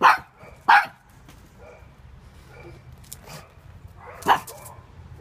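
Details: Little pug defending against an intruding floatie, giving two quick sharp barks close together, then a quieter gap and one more bark near the end.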